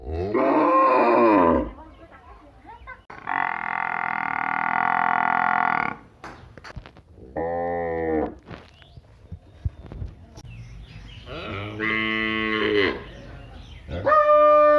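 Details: Village cattle or buffalo moo in several drawn-out, harmonic calls, each lasting one to three seconds.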